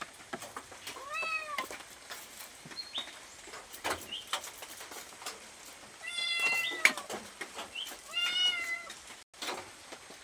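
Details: Cat meowing for food: soft, quiet meows, a short one near the start and two clearer ones later, over a background of clicks, taps and faint room noise.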